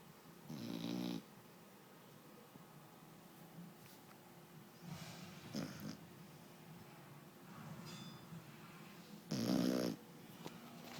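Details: Year-old foxhound napping, snoring in three loud, rasping, noisy breaths spaced about four to five seconds apart, with softer raspy breathing in between and no other sounds.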